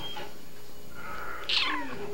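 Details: Cat vocalising before being given a snack: after a quiet start, one loud, bright meow that rises sharply then falls away, over faint room noise.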